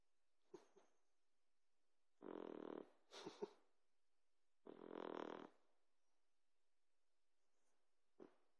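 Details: A sleeping Boxer puppy snores in loud, raspy, broad bursts about every two and a half seconds. Short snorts and soft clicks sit between the snores.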